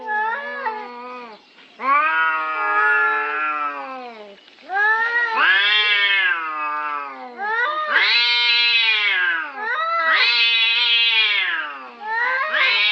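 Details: Territorial fight between cats: nearly continuous, wailing yowls with bending pitch, overlapping voices rising and dipping, loud strained howls following one another with hardly any break.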